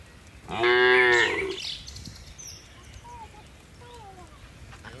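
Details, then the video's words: Tame cattle, part of a herd of dozens jumping down a hill on a mountainside. One loud, brief, strongly harmonic moo near the start, then quiet countryside with soft bird whistles. "Suara lucu sapi moo"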